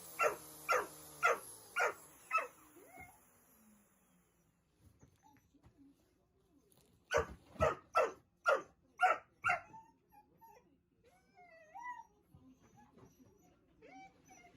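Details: Indoor Dobermann angrily barking at a vacuum cleaner: five quick rhythmic barks, a pause with soft scuffling, then a second burst of six harsh barks about twice a second, followed by quieter household sounds.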